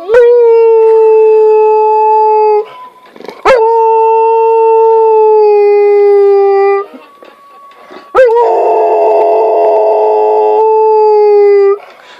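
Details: Tanja, a Rottweiler, howls like a wolf while listening to "Big Bad Wolf": three long, steady, drawn-out howls of about three seconds each, separated by short breaks, with musical chords sounding beneath the last howl.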